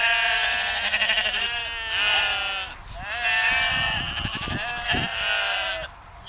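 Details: Sheep on a dike near the Westerschelde in Zeeland, the Netherlands, bleat in long, wavering, nasal calls, one after another with brief pauses.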